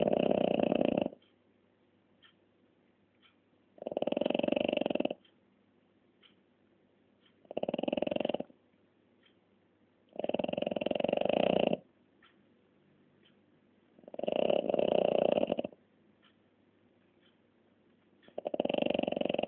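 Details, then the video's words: French Bulldog snoring in long, loud rasping bursts of about one to one and a half seconds, each followed by a quiet pause of a few seconds, in a steady sleeping rhythm. "Bulldog Frances Roncando"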